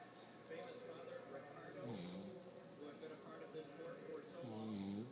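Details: Snoring from Stanley the puggle, a pet dog: two rasping, low snore breaths near the second and final seconds, set against continuous talking voices.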